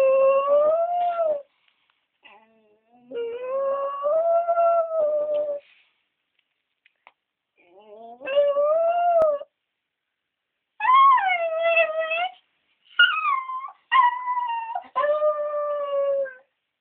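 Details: A female West Highland White Terrier, left home alone while her companion Scottish Terrier was at the vet, howls and 'talks' in wavering, yodel-like bursts separated by short pauses; she rarely howls, and her whimpers seem to say "where is Beebee".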